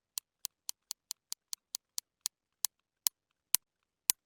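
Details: Real recording of a sperm whale's sharp, dry clicks, evenly spaced then slowing and louder; clicks run very close together into a whistle-like buzz, signalling a prey-capture attempt on squid such as Histioteuthis, its favourite Mediterranean prey; Sperm whale.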